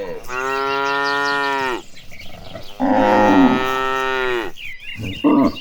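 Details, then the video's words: Tame cattle marching as a herd toward the pasture; two long, steady moos of about one and a half seconds each, followed by a short higher bleat, birds chirping behind. "A Herd of Cows Marching Toward the Pasture, the Sounds of Tame Cattle"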